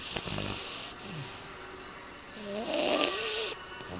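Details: A sleeping red Boston Terrier, male, snores in two long, hissy breaths around a pause. Faint voices run underneath.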